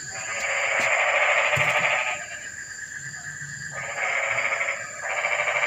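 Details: Frogs calling on a rainy night, livening a quiet evening: long rasping, rapidly pulsed croak trains lasting about two seconds each, separated by a short pause, with a steady high electrical-sounding hum in the background.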